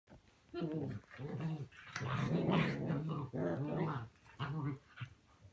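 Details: Playing puppies in the morning indoors, a dog growling in low, rough, harmonic bursts, several pulses in quick succession with short gaps, in a small room.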